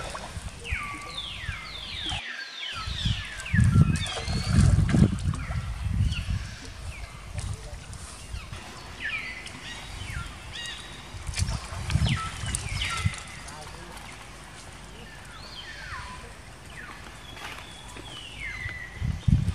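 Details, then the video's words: Baby monkey Jinx, female, cries after an attack by Spring, another monkey: clusters of high, descending wails come in bursts, with pauses between them, amid talking, water sloshing and low handling noise. "Poor Baby Monkey Jinx Was Attacking By Spring Monkey, She Crying Seizure"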